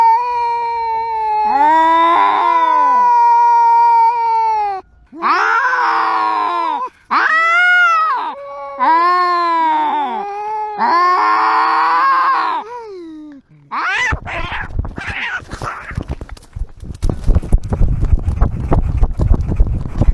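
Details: A domestic cat cries and screams to express its emotions, recorded live: a run of long, strained, wavering yowls for about thirteen seconds, then short calls fading into rustling and clattering noise.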